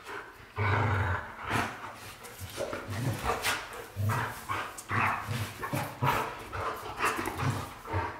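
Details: White Golden Retrievers James Bond and Luna, pet dogs, giving a run of rough, low barking and growling bursts roughly every half second to a second, steady throughout, with indoor room noise behind.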